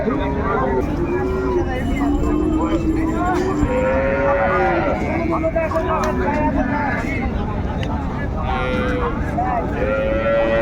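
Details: Busy cattle market at Raniganj haat, Dinajpur, 30 May, trading cows with calves: repeated overlapping moos, low and wavering, from several animals, mixed with men bargaining, crowd murmur and passing vehicles.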